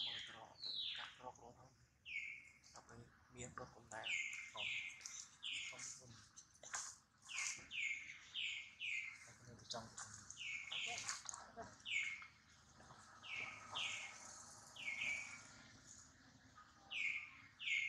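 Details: Baby monkey Duke, hurt after failing to catch his mother Duchess, cries loudly with repeated high, clear calls that slide sharply downward, several per second in bursts, with scattered clicks and rustling between them.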